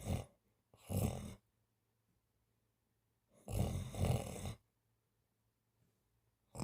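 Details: A cat asleep during a daytime nap snores in two separate breathy, rasping bursts about three seconds apart, each a rough, low, noisy rumble with silence between them, recorded indoors.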